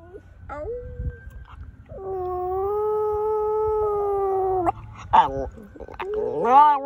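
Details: Pet dog practicing howls, recorded March 2020: a few short wavering notes, then a long steady mid-pitched howl of about three seconds, followed by bending, sliding notes at the end.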